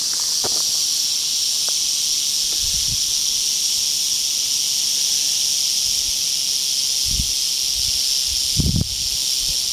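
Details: Western rattlesnake met on the East Molera trail, Andrew Molera State Park near Big Sur, California, on August 15, 2010; a steady, dry, high hissing buzz runs unbroken through the whole stretch, with a few soft low thumps like footsteps.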